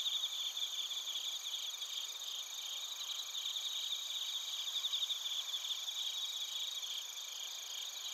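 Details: Narita, Chiba Prefecture, Japan: bell crickets and crickets recorded with a TASCAM Portacapture X8 give an unbroken high chorus, quick buzzy pulses stacked over steady ringing trills, fluttering slightly in loudness throughout.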